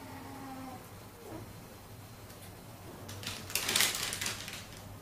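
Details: Siamese kitten Keiko, about three months old, moving in with her half-brother Zen, about one year old, indoors in August 2009; a short level meow, then a brief falling cry, followed by loud clattering.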